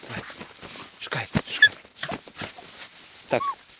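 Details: Dachshund, one of two named Tasya and Kessi, digging at burrows in a field in autumn 2015; snuffling and scraping bursts, then a short high rising-falling whine near the end, with a woman's voice nearby.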